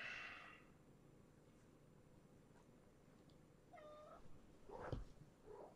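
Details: Shelter-born kittens of a brown tabby mother, Tulalip, Washington area, in the morning: one clear, brief, harmonic meow near the middle, surrounded by soft rustles, a thump and low indoor background noise.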